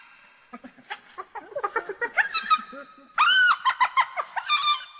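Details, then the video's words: Hyena calls, said to carry far and keep the group in touch: a quickening series of short, harmonic, rising-and-falling yelps that grows louder and higher, a laugh-like giggle with a loud burst after three seconds. "Hyena Sounds (10 Minutes) – Hyena Calls"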